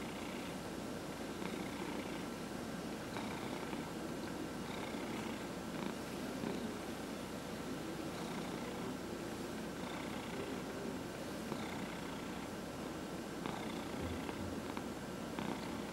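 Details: Domestic cats purring while being massaged indoors, four cats including senior cats adopted from a shelter; a steady low rumbling purr runs throughout with soft rhythmic breathing pulses and faint higher rustling from the massage.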